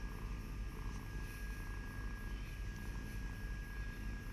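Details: A cat purrs close up: a dense, even low rumble with no breaks, over a faint constant high-pitched tone.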